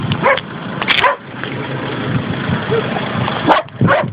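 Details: A few short yelping barks from dogs in a group of six needy labrador and schnauzer crosses, aged five months to twelve years, kept in a rural spot in Valencia province, Spain, with background noise between barks.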